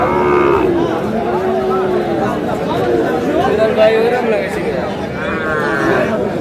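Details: Sahiwal bull calves at a busy cattle market in Kurigram on 3 March, where a farmer is buying the market's best calf. A harmonic moo opens, another rises near the end, over constant bargaining voices and crowd chatter.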